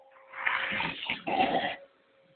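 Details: Labrador Retriever facing a vacuum cleaner gives two harsh, rasping growl-barks in quick succession, the second slightly louder, then falls quiet over a steady background hum.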